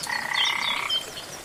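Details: Rainforest frog by a waterfall giving a single drawn-out rattling croak, densely pulsed and held for nearly a second before cutting off, with thin high bird chirps scattered above and water hissing underneath.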